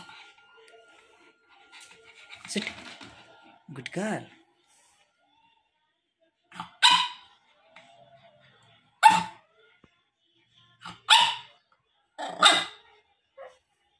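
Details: A pug gives short, sharp barks on command in a small room, with a person telling it to bark and sit.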